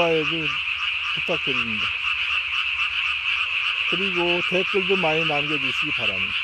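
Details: At night in May 2020, a Japanese tree frog swells its throat sac to body size while calling: clustered quick croaks, some falling in pitch, in several bursts against a constant shrill chorus.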